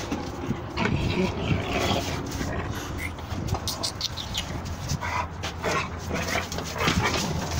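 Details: Red nose American Pit Bull Terriers in Texas engaged in rough play; low rumbling growls and huffs mixed with dense scuffling and thumping, a few brief higher yelps, continuous busy noise.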